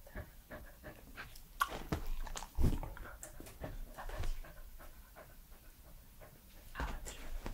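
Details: Edmundo, an active 3-year-old Pembroke Welsh Corgi, heard at close range: low breathy panting and scattered tongue and lip clicks, uneven spacing, with a few louder smacks and soft rustling between.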